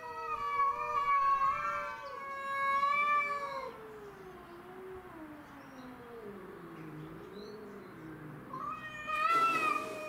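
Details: Territorial fight among domestic shorthair cats Tom, Mimi and a grey-and-white stray: loud wavering caterwaul, then a long low moaning growl sliding lower and undulating, before a sudden higher yowl returns.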